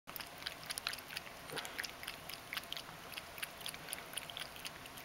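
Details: Mojio, a pet Ragdoll cat, drinking water as it does every day; soft, uneven wet lapping clicks, bright and sharp, several per second, with a quiet indoor background.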